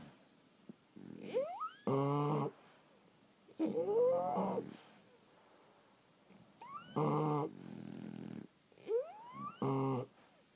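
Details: French Bulldogs asleep, snoring and wheezing. Four breath cycles mix high rising whistled squeaks with rough, harmonic snorts, spaced irregularly over about ten seconds.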